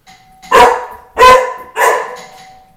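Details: Pet dog barking while protecting the house in a friendly way, three loud, deep, rough barks spaced about half a second apart, with a steady doorbell tone ringing underneath.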